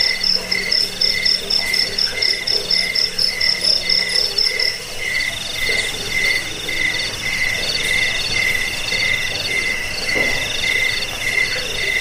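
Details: Several crickets chirping together, offered as a sound for repelling rats, for sleep and for training songbirds. Rapid pulsed chirps in shrill high bands, one fast-pulsing voice dropping out after about four seconds while a steadier trill continues.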